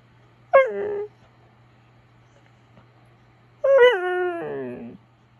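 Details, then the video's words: Talking Siberian Husky looking disappointed: two vocal bursts, a short falling yelp-whine and, after a three-second pause, a longer wavering howl-like 'talk' that drops in pitch, with a low steady hum beneath. "Talking Husky"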